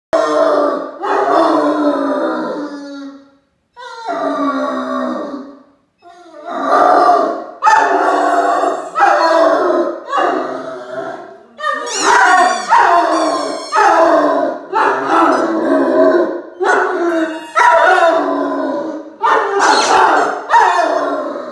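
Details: A male Great Dane puppy howls in long, wavering bursts, worked up with excitement while playing with his squeaky mouse ball toy indoors.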